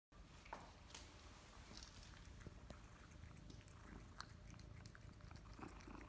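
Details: Kimi, a male pet cat, eats his favourite wet food from a bowl right after a sachet is opened; wet smacking and chewing clicks come in quick irregular bursts over a low steady rumble indoors.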